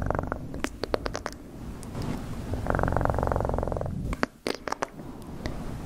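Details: Domestic cat purring in close-up, a steady low rumbling pulse that swells loudest midway, with sharp clicking and tapping noises scattered before and after.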